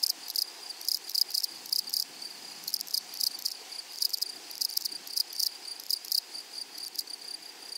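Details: Grasshoppers on a flowery prairie meadow make loud, dense, raspy, high-pitched bursts in irregular clusters, overlapping almost without pause.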